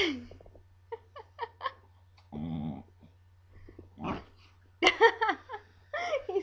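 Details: Duff, a Scottish Terrier, "talking" indoors when provoked and teased: a mix of short yips, whining, and a low wavering growl-like grumble, followed by louder yelping moans, with a steady low hum behind.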